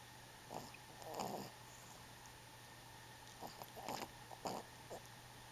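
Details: Twelve-week-old puppy Bentley sleeping on his back and running in his dreams, giving short nasal snorting bursts in two groups, around one second and again near four seconds, over a steady background hum indoors.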